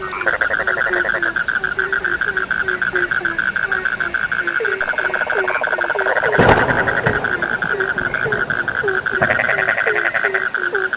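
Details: Frogs in full chorus, short drooping croaks repeating quickly over a ringing continuous trill, with a brief loud crackle midway and a pulsing rattle toward the close.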